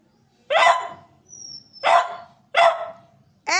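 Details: Pet dog repeatedly barking to provoke another dog into a morning play-fight while its owner scolds it: three sharp barks roughly 0.7 seconds apart. A high whine starts just at the end.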